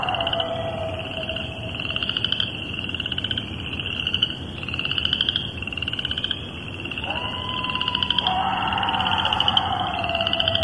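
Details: Night coyote chorus in Cuyahoga Valley National Park near Vaughn Road and the Towpath, March 19th, 2011, 10:40pm: a brief level howl, then overlapping yipping cries near the end, set against a dense, rhythmic trilling of frogs.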